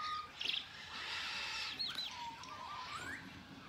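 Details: Captive zoo meerkats, a troop known to bite, give short high chirps and thin squeaky whistles, one sliding up at the end.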